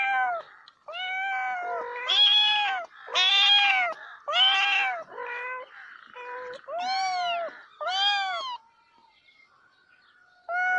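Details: Domestic cat meowing repeatedly, about nine loud, arched, harmonic calls, some with a lower tail, coming roughly once a second before a quiet gap and a final meow.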